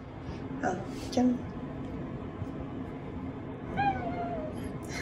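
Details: Black-and-white cat waiting in ambush after a bath and fawning with high-pitched cries: several short, high, clear meows with bright overtones, the last one sliding downward, over a steady low hum and faint background sounds.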